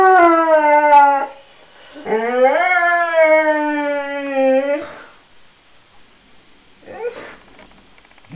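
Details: Honey, a pet dog, singing in long howls: a falling note cut off after a second, then a rising, swelling howl held about three seconds before fading, followed by quieter faint whimpers and shuffling.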